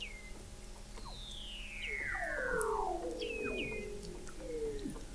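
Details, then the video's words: Several Weddell seals calling below sea ice at McMurdo Sound, Antarctica, recorded November 2017 by an observatory 70 ft under the ice: sweeping descending whistles overlapping one another, with brief high chirps and a steady faint hum. "Song of the Antarctic Weddell Seal"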